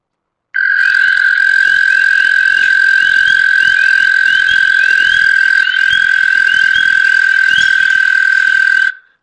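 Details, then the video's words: American toad giving one long, non-stop, steady musical trill of about eight seconds, with spring peepers chirping in the background. "now i will tell you you can hear peepers in the background so just be mindful of that but this long single trill is the american toad"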